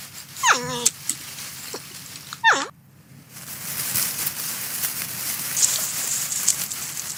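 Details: Porcupine feeding on corn gives two high, harmonic squeals that slide steeply downward, each under half a second, then falls quiet while a soft hiss of background noise fills the rest.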